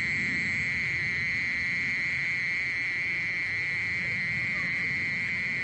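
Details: Steady mole cricket trill, a long unvarying high-pitched buzz sustained the whole time, over a faint low murmur of background noise.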